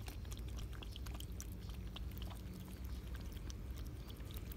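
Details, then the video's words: Cats eating and drinking milk on a summer day; soft, irregular crunching and lapping clicks come in quick bursts over a steady low indoor rumble. "Cats eating 🐈 cats drink milk"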